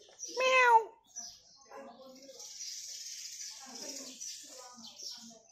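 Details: A lonely stray cat living near a home gives one clear harmonic meow, rising then falling, followed by quieter scattered sounds and faint background hiss.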